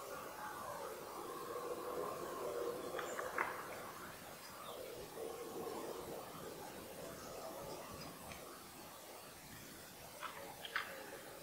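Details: Red deer stag during the 2018 rut, where fourteen-point stags face off and fight; distant, drawn-out harmonic roars rise and fall over several seconds, with a few sharp clicks and faint background bird chirps.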